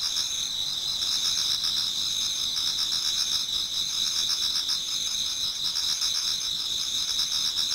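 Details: Autumn insect chorus in a Japanese garden as dawn approaches: unbroken high, ringing trills stacked in two bright layers over a faint rapid pulsing of chirps, around four beats a second, with no other clear sounds.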